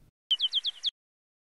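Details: Bat echolocation calls are shown in compressed view, which removes the silence between calls, and slowed down in playback. They are heard as a quick run of six short, downward-sweeping chirps.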